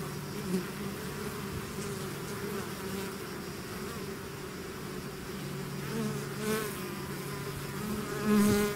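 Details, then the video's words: A swarm of bees out of its hive hums continuously in a thick low drone; single bees swoop close several times, adding rising, louder whining buzzes, strongest at the very end. "bees therapy swarm natural buzzing sound"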